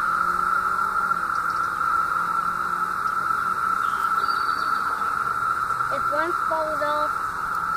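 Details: Emerged 17-year cicadas droning in Southeastern Ohio, summer 2016: a steady, loud buzzing wall of sound at one pitch, with people talking softly over it in the second half.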